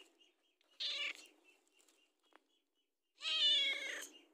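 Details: Hungry house cat asking for food: a short, sharp meow followed after a pause by a longer, louder, wavering meow, with faint clicks between.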